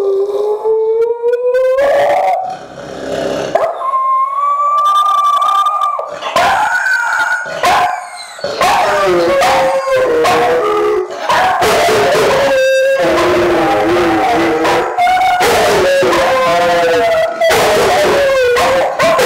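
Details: Several pet dogs howl together at night before going to sleep, as they do every night with a different song each time. Long wavering howls rise and fall, with overlapping voices, breaks and short yips between them.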